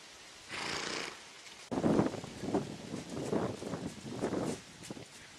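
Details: Missouri Fox Trotter pair, a black-and-white paint gelding and a brown-and-white paint mare, ridden by two boys aged 15 and 8. Low, rough, breathy snorting bursts pulse about once a second before fading out.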